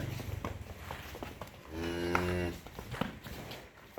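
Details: Mundi dairy cow on a farm in Faridpur district, Bangladesh, giving one low, steady, droning moo of under a second midway through, against background clatter, footsteps and faint voices.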